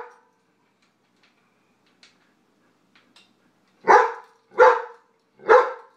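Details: Dog barking in a food dispute between a White Shepherd and a Jack Russell, one dog trying to keep all the food to itself: quiet start, then three sharp, loud barks spaced under a second apart.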